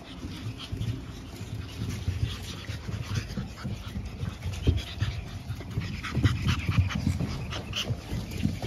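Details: Pug puppy littermates born April 17, lively and nearly ready to go to new homes, pant and snuffle, with soft whimpers and shuffling underneath.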